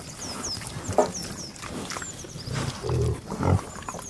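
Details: Pig grunting outdoors: short, low snorting grunts that grow into a deeper, louder cluster toward the end, while small birds chirp high in the background.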